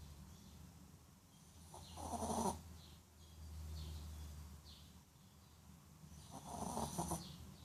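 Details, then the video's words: Shih Tzu named Fin sleeping after a hard day of a haircut, treats and seeing rabbits at the pet store; two rasping, breathy snores about four seconds apart, with a low rumbling breath between them. "Shih Tzu Snoring"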